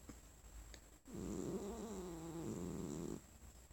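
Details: Sonora, a pet cat lying in her owner's lap indoors, growls when petted after the owner coughed; a steady low rumbling growl of about two seconds, starting abruptly and fading out, in a quiet room.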